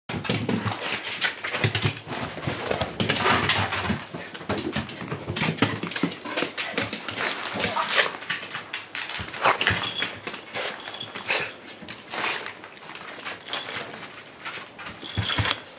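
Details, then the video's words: Shiba Inu named Asuka, full of energy, greeting her owner returning home indoors, with other household dogs including elderly Hagetarou also welcoming; dense mix of excited whines, thin high whimpers, scuffling and rustling throughout, faint voices in the room. "柴犬 明日香 帰宅の歓迎"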